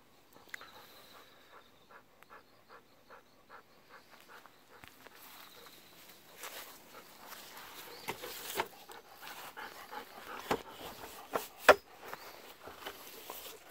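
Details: Golden Retriever on an evening walk, pestering for persimmons that are not yet ripe: quick, breathy panting pulses repeated steadily for several seconds, then rustling, footsteps and louder outdoor handling noise.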